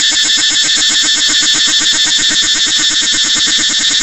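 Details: Loud cicada buzzing, intense and high, with a rhythmic throb of about four pulses per second running evenly through the whole stretch.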